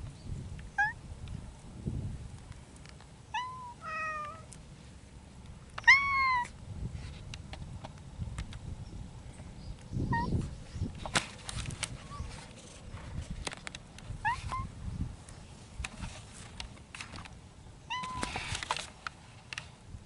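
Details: Feral mountain cats courting in spring, calling in a series of harmonic meows and yowls, some short and rising, others drawn out, repeated through the clip among rustling and clattering noises.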